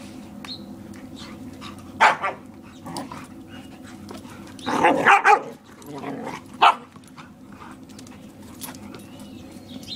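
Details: A Borador playing with a German Shepherd barks to shield its owner; a single bark, then a dense noisy burst of barking near the middle and one more sharp bark, over a quiet, humming background.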